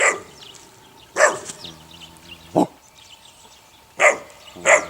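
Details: Puppies of the neighbour's dog Sunny, 8 weeks old, letting out four short high yips spaced about a second apart, with a low steady hum between them.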